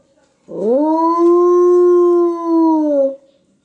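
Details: Captive wolf howling in its enclosure at the Chudo-Ostrov zoo in Medvedevo: a single steady, tonal howl about two and a half seconds long that rises briefly, holds a level pitch, then sags slightly at the end, with a quiet background.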